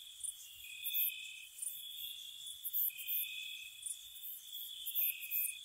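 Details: Spring night crickets near a cottage: a steady piercing trill joined by lower trilled bursts lasting over a second about every two seconds, with high rapid chirp pulses above.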